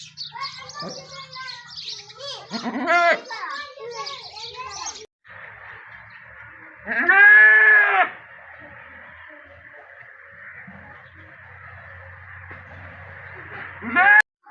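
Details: Goat during the delivery of a kid. Harsh, strained bleats near the start, then one long, loud, wavering bleat about midway and a short cry at the end, over a steady high background hum.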